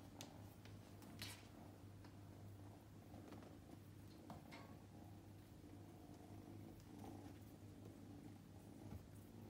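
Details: Luka, called Roo, a male prick-eared Scottish Fold born 8 May 2021, purrs indoors at home on his second day with the family. The purr is a steady low rumble, with faint rustles and small knocks over it.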